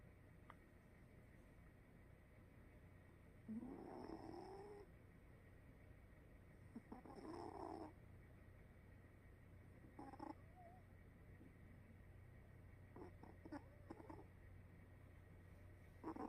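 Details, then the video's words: Cat asleep and snoring, with soft raspy breath sounds at irregular gaps of about three seconds, some longer and fuller, others short and clipped, against a low constant hum. "코골면서 자는 고양이"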